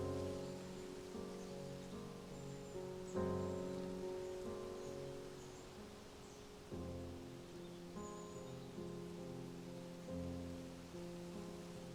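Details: Gentle sustained music with layered tones and a soft hissing background, with no animal voice heard.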